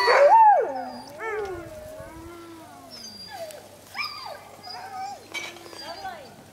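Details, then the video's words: Husky dogs howling in a yard, several sliding, wavering tones that rise and fall and overlap one another, with a louder opening howl followed by shorter quieter ones. "Husky dogs howling in the yard"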